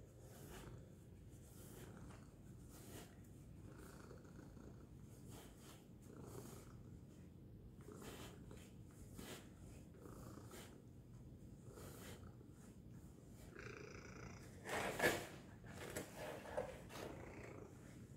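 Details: Tacy, a domestic cat, purring loudly indoors: a steady low rumbling pulse runs throughout, with soft rustling, brief clicks and a sharper noise burst near the fifteen-second mark.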